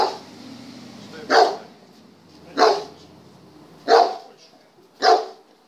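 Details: German Shepherd tested in trial number 39, giving four loud, separate barks roughly every 1.3 seconds over a quiet background.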